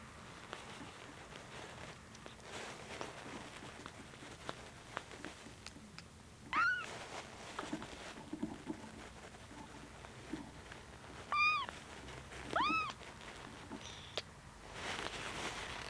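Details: Kitten about two weeks old named Koko, fussing while being helped to pee after drinking milk; a few short high arched mews spaced seconds apart over faint rustling and handling noise.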